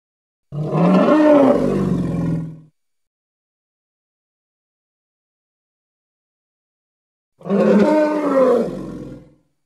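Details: Two rasping, harmonic bellows from a Congo hippopotamus, each about two seconds, with a slight falling bend in pitch and silence between them.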